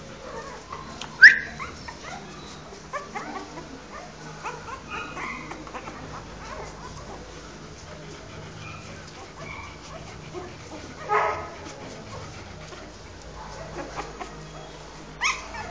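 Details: Newborn Rottweiler puppies nursing on their mother Yuki: faint, brief high squeaks and whimpers scattered through steady soft rustling and suckling noise, with a sharper squeal early on and two more bursts near the end.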